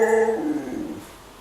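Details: Sapphire the female husky, who loves her food, answering when asked what she wants: a steady harmonic whine that drops in pitch and fades out after about a second, indoors.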